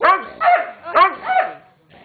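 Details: Playtime ruckus among pet dogs Weetzie, Junior and a protesting Maddy: four quick, bright barks in a rapid string, each rising then falling, fading out into near silence at the end.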